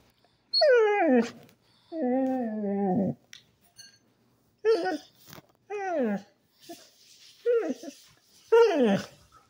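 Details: Basset Hound turning from cute to angry: a run of drawn-out, falling, mournful yowls, some half a second to a second long, others clipped and shorter, separated by brief pauses.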